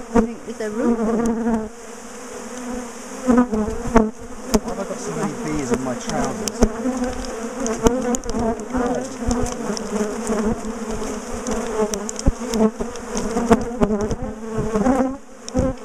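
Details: Large bee colony in a top bar hive being dismantled, split and moved, bees known for ambushing and chasing people; dense steady buzzing with individual bees droning past, occasional knocks and handling thuds throughout.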